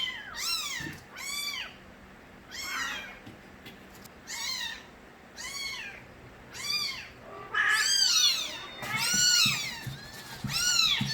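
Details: Loud crying of young street kittens, Nabi's litter: a run of short, high, arching meows repeated roughly every second, several voices overlapping toward the end.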